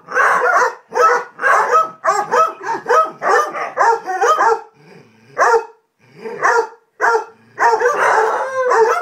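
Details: A pack of Basset Hounds bark in deep, bawling bursts, one after another in quick succession, during a playful chase after one rolled in something disgusting.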